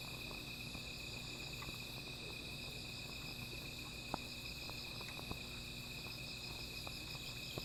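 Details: A night-time insect chorus near a small fire, an unbroken shrill ringing tone with overlapping higher buzz, punctuated by sharp isolated clicks and pops like burning wood.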